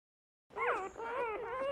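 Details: Dog whimpering: a short, high, wavering whine that slides down then levels off, repeated in a brief run with a nasal, whiny tone.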